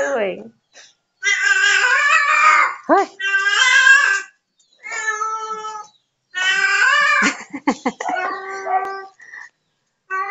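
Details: Neighbour's domestic cat meowing repeatedly, a run of long wavering meows broken by short gaps, some calls rising then falling, with a few brief choppy sounds in between.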